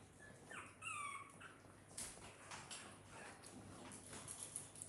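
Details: Dog indoors in a house shared with puppies, kittens and many exotic pets, around feeding time when Lucia wants the young animals' food; brief high whimpering squeaks with bending, rising-falling tones early on, then rustling and household clatter.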